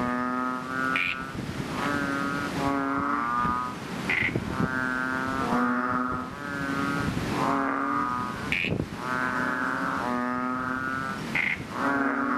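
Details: Several chubby frogs calling loudly from a fishpond after rain, a near-continuous chorus of nasal, buzzing moans about a second long, overlapping one another, with short higher-pitched bleats now and then.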